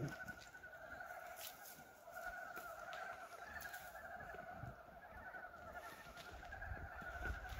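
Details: A dense chorus of the year's first frogs, recorded 19 February 2023 on a warm early-spring day: many overlapping clucking, bleat-like croaks merge into a steady pulsing drone.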